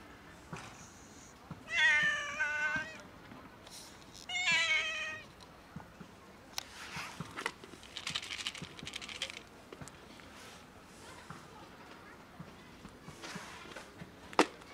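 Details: A sad cat meows twice, each a drawn-out, rich harmonic wail about two and a half seconds apart. Soft rustling and clicking noises follow over a faint steady hum.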